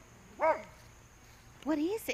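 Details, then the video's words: Dog during fence racing giving one loud harmonic bark followed after a pause by a rising-falling whiny yelp, a person's voice calling nearby. "Fence racing"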